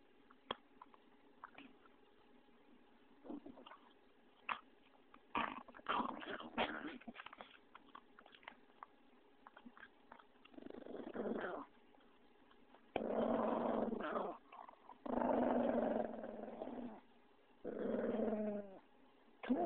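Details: Indoor play with pug Vinny: patter and scuffling noises give way to a series of rough, low growling bursts, each one to two seconds long, with laughter and a human voice coaxing him.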